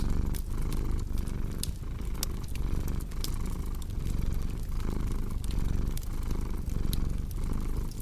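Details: Domestic cat purring steadily in a low rumble that swells and fades with each breath, about every second and a half, mixed with sharp pops and snaps of a crackling fireplace.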